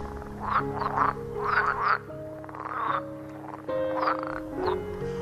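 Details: Green (water) frogs, heard in many places in the Engbertsdijksvenen peat bog, croak in rough, rattling bursts over soft background music.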